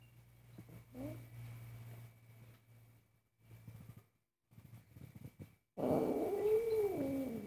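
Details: Angry domestic cat during cooking: low humming and clattering kitchen noises first, then a loud, wavering, drawn-out moaning yowl at the end.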